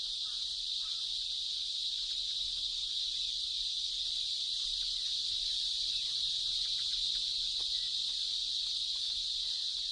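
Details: A dense chorus of male cicadas, up to a hundred per tree, gives a continuous high, hissing mating drone to attract females, reaching up to 110 decibels, in shaded trees of Bengal tiger habitat.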